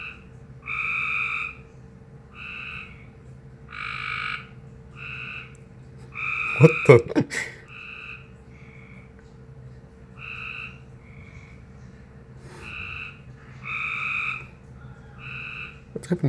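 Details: Frog making an unusual noise after appearing suddenly, short buzzy two-toned bursts repeated in uneven runs, over a steady low electrical hum, with a few loud knocks and a brief exclamation mid-way.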